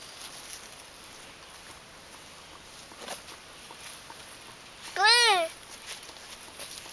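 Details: Blue-eyed Alapaha Blue Blood Bulldog puppies: a single loud, arched whine with rich harmonics lasting about half a second, rising then falling. It stands out against a quiet background of faint rustling and soft clicks.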